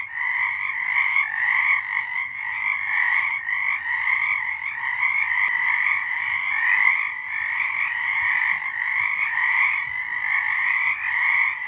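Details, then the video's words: March 2023 night recording of frogs singing together, dense pulsing trills layered in a mid and a high band, steady and without other clear sounds. "Frogs singing"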